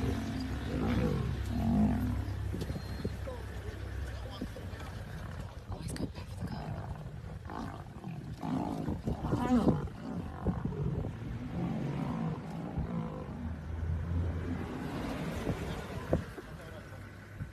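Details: Female lions protecting their cubs from a male lion; low rumbling growls and roar-like calls rise and fall through the recording, with a deep resonant stretch near the end and some voices in the background.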